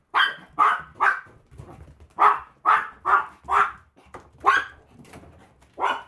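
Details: Small Maltese dog yapping while out walking: bright, high-pitched barks in uneven bursts of two or three, about a dozen across six seconds, with faint shuffling between them.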